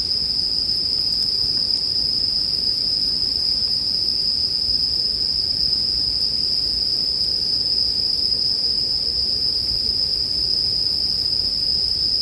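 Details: Bell cricket chorus as a sleep soundscape: a steady, unbroken high ringing tone holds throughout, over a soft, low, rustling bed like a quiet campfire.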